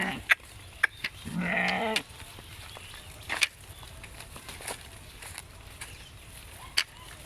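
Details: Garole sheep eating wet grass on a canal bank next to a harvested paddy field; one clear wavering bleat lasting under a second, then sharp clicks and rustling in quiet outdoor surroundings.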